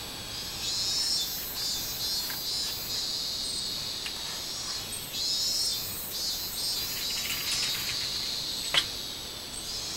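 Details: Robust cicada (minmin-zemi) recorded 24 July 2016, a shrill buzzing song rising and falling in uneven swells, with a continuous high hiss beneath and a single sharp click near the end.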